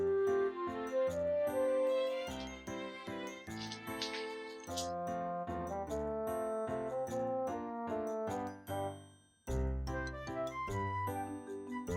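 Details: Tinkling, bell-like jingle music fills the whole stretch, briefly dropping out before resuming, with no animal voice.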